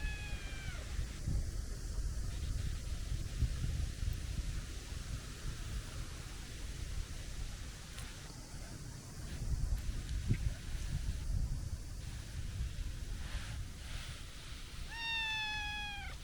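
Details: Chubby stray tabby with a kitten-like voice: one high, falling meow at the start and another near the end, separated by outdoor rustling, scattered clicks and low wind rumble.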